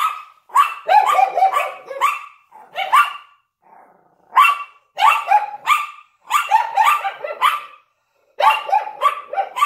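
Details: Yorkshire Terrier and Lhasa Apso barking in the window; overlapping high, rough barks in dense clusters of three to five, separated by short gaps of quiet.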